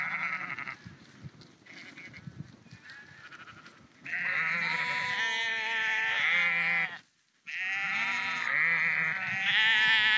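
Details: Along a dike near Husum, Nordfriesland, walking sheep start with faint distant bleats, then burst into loud, drawn-out, wavering baas from several animals at once, broken by a brief silence.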